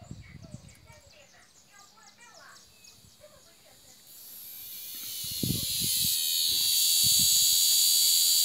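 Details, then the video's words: Cicadas singing in an aroeira tree, opening with scattered bird chirps, then a high, hissing buzz swells from midway and grows into a loud, continuous drone, with a few low knocks underneath. "Cigarras na aroeira"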